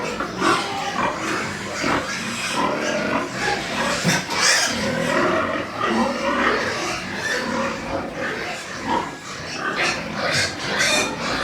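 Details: Several white pigs on a farm in Nepal keep up a dense, busy stream of grunts and shrill squeals, nearly two calls a second, often overlapping, with constant pen noise throughout.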